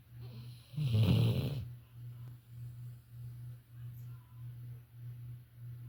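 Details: Violet, a female Labrador Retriever, asleep: one loud, grating snort early on, then a soft, low, rhythmic snoring hum pulsing evenly about three times a second.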